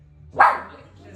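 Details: Mabel, a pet dog, barks at her own reflection: one short, sharp, loud bark with a quick onset that fades within half a second, and a quiet voice before it.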